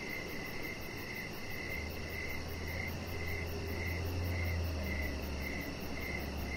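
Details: Crickets sing in the evening beside a deck where a chihuahua puppy rests; bright, regular chirps come about every 0.6 seconds over a steady low drone.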